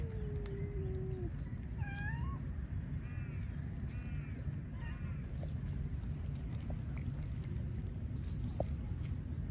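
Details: A stray cat in Istanbul, Turkey, the one-eyed one wanting attention while others feed, gives a long falling meow, then short rising mews and a quick run of chirpy cries, over steady low street rumble.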